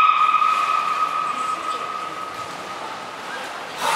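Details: At Port of Nagoya Public Aquarium, belugas Niko and Mirai in training, 29 February 2020: one long, level, whistled tone with harmonics, slowly fading over several seconds before a noisy burst.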